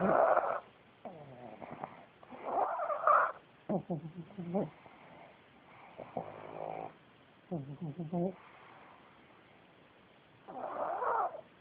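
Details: Pugs snore on a bitter cold day after the December 2010 Minneapolis snowstorm and blizzard, with rattling snorts and wheezy, whistling breaths in an uneven rhythm.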